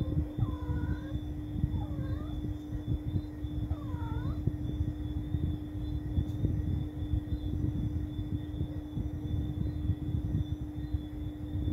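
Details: A cat at night utters three short arched meows in the first four seconds, each rising and dropping quickly, followed by several seconds of low rumbling noise with a steady hum and no further calls.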